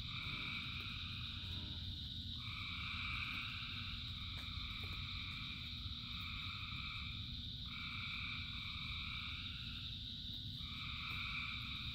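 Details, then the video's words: Thousands of frogs singing in the rain: a dense chorus of steady buzzing trills that swell and fade in overlapping bursts lasting one to three seconds, layered over a constant low hiss of falling rain. "Frogs in Rain 2 Hours of Frogs, Thousands of Frogs Singing"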